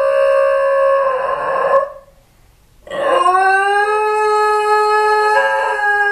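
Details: Two Basenji dogs howling at home after their owner left, missing their human, caught on a hidden camera. Loud sustained tonal howls, a short silent gap, then a sliding howl rising and held steadily, voices overlapping.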